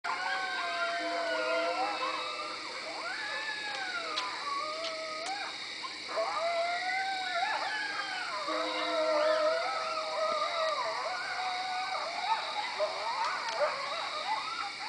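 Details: Coyotes calling in woods behind a house, loud in winter season: overlapping wavering howls and yips, sliding up and down, dense and continuous throughout with several voices at once.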